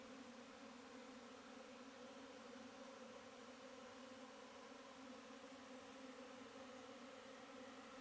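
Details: Steady droning hum of honey bees, a constant buzzy tone with rich overtones and no pauses, over a soft hiss of background noise.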